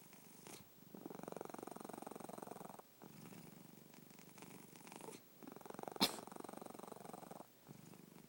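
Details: Domestic cat snoring with a deep, rapidly pulsing purr-like rumble in breath-long bursts of about two seconds, separated by short silences. One sharp click stands out midway.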